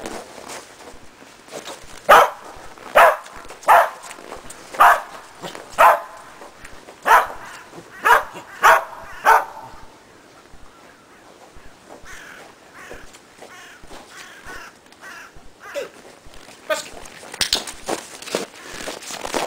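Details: Shetland Sheepdog named Preston barking during agility training with a box and jump grid, running contacts foundation work: a series of about nine sharp barks in the first ten seconds, then footsteps and scattered barks.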